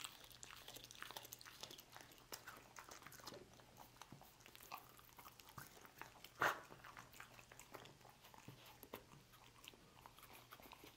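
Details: Dog eating roast beef inside: slower gnawing and soft chewing, broken by one loud crunchy snap midway and a few sharper bites later, with a low background hum.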